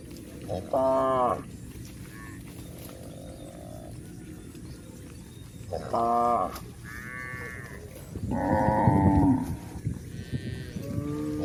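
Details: Cattle journeying over a hill: a series of moos in eleven seconds, a mix of short bursts and longer, louder rising calls, over steady low background noise.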